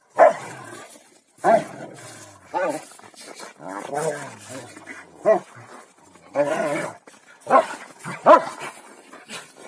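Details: Playful growling from two Rottweilers, Malysh and Sam, contesting king of the hill. Abrupt bark-like bursts come about every second or so, with wavering growl stretches between them.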